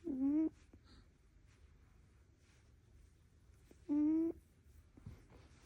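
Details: Poppy, a pet prairie dog sleeping in indoors around 8:30 in the morning, snores: two short nasal honking tones, each about half a second and slightly rising, spaced roughly four seconds apart in a quiet room.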